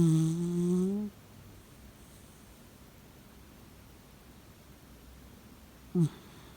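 A Shiba Inu gives a loud, low snore that rises in pitch, then goes quiet.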